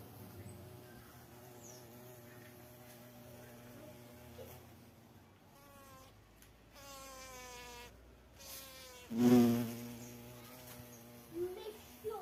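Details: Carpenter bee (mamangava) in flight, giving a low droning hum rich in stacked harmonics. Its pitch slides up and down as it moves, and it swells to a loud close pass around the nine-second mark before fading and returning.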